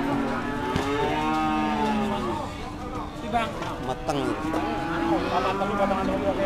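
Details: At the Dimoro cattle market in Blitar, cattle are weighed after bargaining; several sustained, low lowing moos overlap, with one break midway and a quieter call afterward, amid background voices and market noise.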